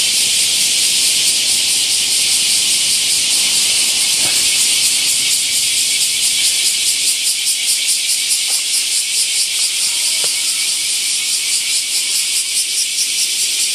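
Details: Bear cicadas in loud summer chorus at Daitokuji Park, Nagasaki, beside the prefecture's largest camphor tree; dense, rasping buzz pulsing about twice a second, continuous throughout, with faint speech in the background.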